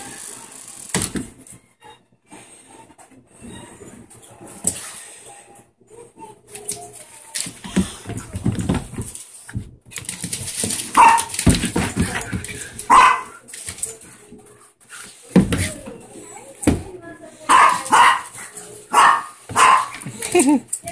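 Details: A 4-year-old Siberian husky yowls and 'talks' indoors in short, wavering, rising-and-falling bursts.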